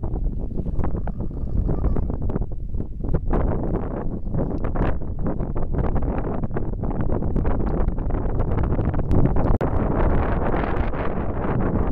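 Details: Only heavy wind buffeting the microphone is heard, with no clear animal calls. A steady low rumble dominates throughout.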